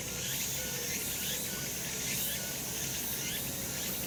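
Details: Summer mountain in sunshine, cicadas droning in a continuous high, sizzling chorus with rising swells and rhythmic pulses, brief faint whistled notes drifting through the background.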